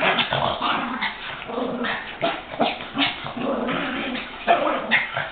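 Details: Two Chihuahuas playing or fighting, attacking each other, with one growling: a continuous rough, harsh growl broken by snarling bursts and short yips, surging in loudness every second or so.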